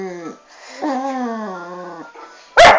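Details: Female Staffordshire Bull Terrier vocalising indoors because her owner will not give her attention, described as grumbly: a drawn-out moaning whine with wavering pitch, falling at the end, followed by a short sharp sound.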